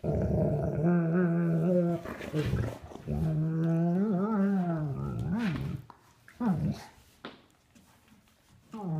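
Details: Sable German Shepherds at play without a toy, three-year-old Duke with nine-week-old Havok: long, moaning harmonic growls held for about two seconds each, rising and wavering, then short grumbles and quieter rustling.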